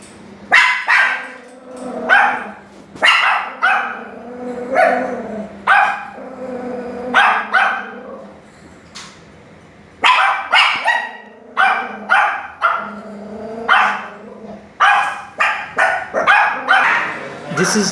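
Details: Chained dogs barking in a steady series of sharp, loud barks, often in quick pairs or triplets, with a brief lull before the barking resumes just as strongly.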